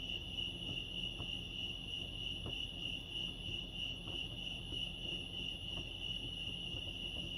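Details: Chirping crickets at Lake Arrowhead in California make a continuous shrill ringing tone without pause, over a low murmur, with a few faint ticks scattered through.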